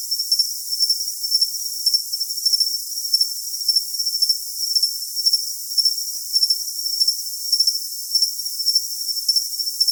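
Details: Crickets for tinnitus masking: shrill, continuous high trill broken by pulsed chirps about every half second, evenly spaced, with a faint hiss behind.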